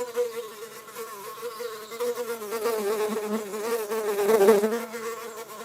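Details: Drone fly (Eristalis tenax) laying eggs, producing a steady low droning buzz with layered harmonics that swells louder toward the end.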